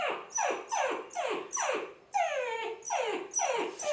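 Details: White and red brindle dog giving a run of high, falling whimpering yelps, about eight cries in four seconds, each sliding downward, one longer wavering whine in the middle.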